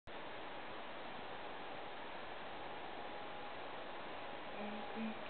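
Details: Steady hiss of background noise runs throughout, with a faint low hum near the end and no animal voice.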